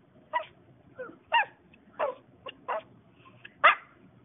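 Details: Vocal Maltese dog indoors giving a series of about eight short sharp yips and barks, spaced irregularly, the last one loudest, after a person asks what it wants.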